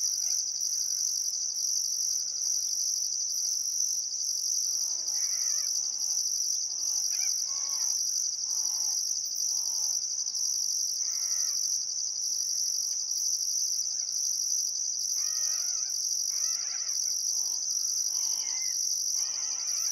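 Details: Summer sunset chorus of crickets by the Barcoo River in Welford National Park, Outback Queensland: continuous piercing high-pitched chirping with a rhythmic pulsing overtone, joined by bursts of bird chatter and whistles through the middle and end.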